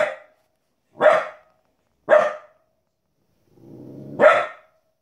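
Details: Fifteen-week-old female Border Collie puppy indoors, barking at wolves and other animals on television: four loud, abrupt barks about a second apart, with a low buzzing hum rising before the last.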